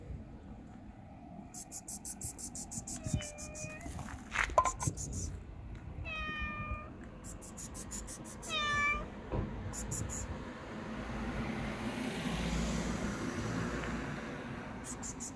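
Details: Affectionate tailless tuxedo street cat, homeless and being fed, meows three times, each a clear harmonic call with a falling tail, between bursts of rapid rhythmic ticking, crunching sounds and low background noise.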